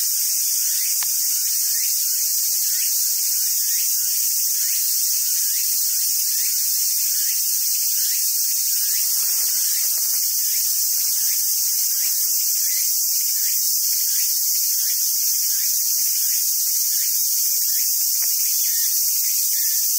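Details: A summer cicada chorus at a macaque park in southern Sumoto, Japan, hissing loudly and evenly for twenty seconds, with a quieter series of short repeated chirping notes running beneath and occasional clicks.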